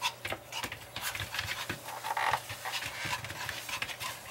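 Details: Long-haired Chihuahua playing catch me if you can, panting in quick, uneven breathy bursts with scuffling noises between them.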